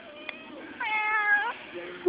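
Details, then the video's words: Whiny Cat, a female barn cat on a family farm, gives a single drawn-out whiny meow lasting under a second, steady then dipping at the end, after a person asks what's going on; faint background noise. "Behold, the Whiny Cat"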